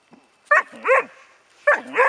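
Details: Rus De'Viaro Venezia, a Bracco Italiano, lets out two doubled barks, each sliding into a short whining yelp.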